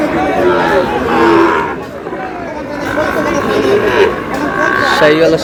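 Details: Sahiwal bull calves being sold to a farmer from Munshiganj give several short, drawn-out moos among loud trading talk and shouting men.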